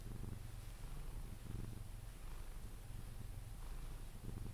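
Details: Low continuous purr from Pepe, a Sphynx cat being cuddled and drifting off to sleep, its deep rumble rising and falling in gentle breathing cycles.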